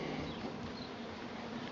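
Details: Swarming honey bees around a house in Tasmania, an annual event come a week early; an even, continuous droning hum with low rumbling and no other clear sounds.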